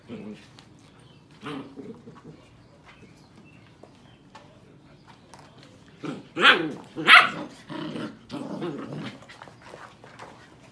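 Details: Sheepadoodle puppies at seven weeks old, with their mother visiting: soft scattered whimpers and low growls, then two sharp, loud barks in quick succession, followed by grumbling growly whines that fade out.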